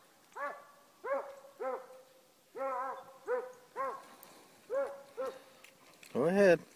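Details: Beagle/Walker mix working jump dog trailing a scent from the road while hunting; a steady run of about nine ringing, harmonic bays roughly half a second apart, ending with a louder, closer howl.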